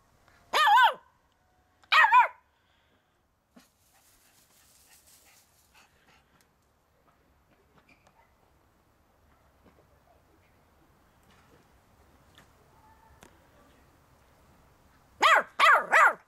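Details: Chewie, a 15-week-old puppy playing in the garden while learning to get down the steps, gives two sharp harmonic barks near the start, then quiet, then a quick burst of three yips at the end.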